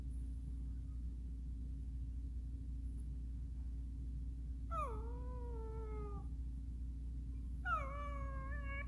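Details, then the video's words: Miniature Schnauzer asking to play: two drawn-out, tonal whines, each starting high then sliding down and holding a steady pleading note for over a second, separated by a quiet pause, over a constant low hum. "Miniature schnauzer asking for playing"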